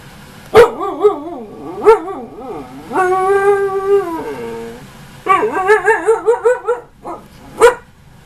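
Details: Ankita, a female husky nearly one year old, argues with her owner indoors: long wavering, yodel-like howls that rise and fall, some held steady, broken by sharp yips near the start and end, with music in the background.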